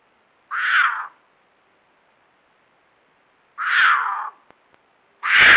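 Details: Nebraska puma, a female in estrus, caterwauling at 9:18 pm on 4.5.22: three raspy, hoarse screams spaced a few seconds apart, the last one loudest, with a couple of faint clicks between.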